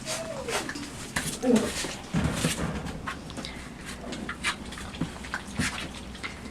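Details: Several puppies aged five weeks and two days explore and gnaw a box placed in their night enclosure, tussling and eating; a thin falling whine opens, followed by a short squeal, with busy scraping and chewing noises throughout.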